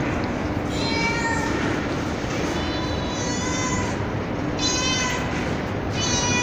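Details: Street cat and kittens recorded on a terrace, mother calling and kittens meowing: four long, high, clear harmonic meows with slightly rising then falling tone, separated by short pauses, above continuous background hiss.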